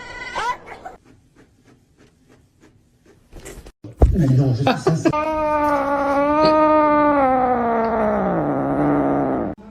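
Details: Domestic cat giving one long, drawn-out wavering yowl that holds a steady pitch for about four seconds before sagging downward at the end, preceded by soft ticking and a brief muffled thump.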